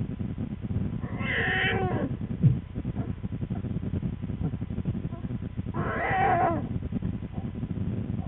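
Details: American black bear cub, one of twins with their mother in a winter den on February 13, 2013, screaming and complaining loudly: two harsh, wavering, cat-like wails about four seconds apart over a steady low hum.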